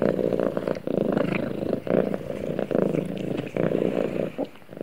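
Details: Cat snuggling with its owner, purring steadily: a low, buzzy rumble broken by short breath pauses roughly once a second, with a few faint rustles over the top.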